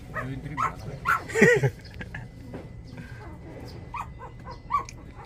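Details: Litter of 23-day-old puppies, very active and lively, giving short squeaky yelps and whimpers in a cluster around the first second and a half, then softer scattered whines, with faint human voices and household noise behind.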